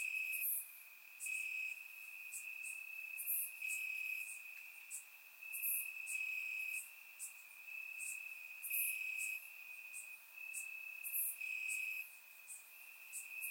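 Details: Night chorus of crickets chirping in grass in Bulgaria during warm summer: one even, shrill trill holds steady while louder pulsed chirps return roughly every two to three seconds, captured by a surround microphone.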